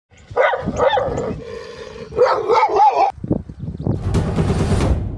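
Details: Pit Bull barking in short, rough bursts, several in quick succession over about three seconds, followed by a loud broad noisy stretch without clear barks.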